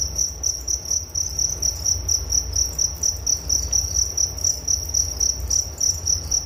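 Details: Cricket chirps in distinct short bursts, about four per second, each a clipped high trill repeating rhythmically above a faint low drone.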